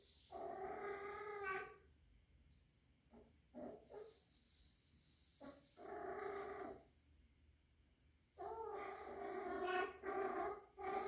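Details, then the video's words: Young rescued kitten about three months old, indoors, possibly in heat, gives long harmonic drawn-out yowls of one to two seconds each, with shorter broken cries between and a rising final wail. "My Rescued 3 months old young kitten in heat???"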